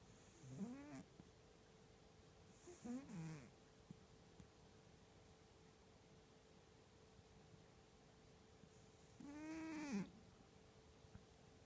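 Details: A pet cat snoring heavily, described as violent snoring: three breathy snore bursts with a wheezy, whistling, arched tone, the first two a few seconds apart and the third after a long pause, over a steady low background hiss.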